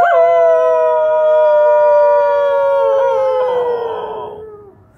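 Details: A dog howls along with its owner in one long, loud, smooth note that sinks slowly in pitch, turns rougher toward the end, then fades away.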